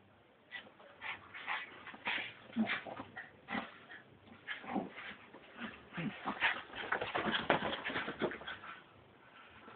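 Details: Frankie, a Brussels Griffon, acting wild, recorded on an Android phone: a rapid, irregular run of short whimpers and yips bursting roughly twice a second, some louder, sharper bursts near the end.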